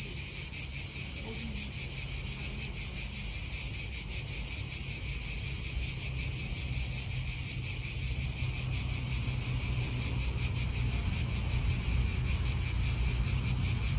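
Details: Cicadas calling in an Italian park: a dense, continuous high buzzing band with a fast regular pulse, steady throughout, over low wind rumble and distant traffic.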